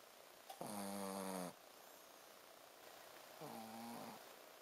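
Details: Shih Tzu named Ponzu sleeping indoors and snoring 'buu, buu': two buzzy, nasal snores with stacked harmonics, the first lasting about a second, the second shorter and softer after a quiet pause, with faint hiss in the room.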